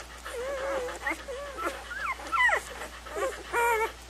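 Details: Puppies give thin, wavering whines and squeaks, some level, some sharply rising or falling, in an irregular string of overlapping cries, roughly forty-seven per minute.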